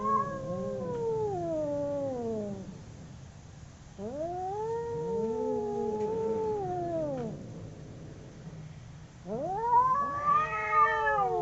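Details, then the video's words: Two domestic cats fighting, trading long arched yowls: three drawn-out howls, each climbing, cresting and sliding down over two to three seconds, separated by brief lulls. The last is the loudest and most strained. "Two cats howling cats fighting sound"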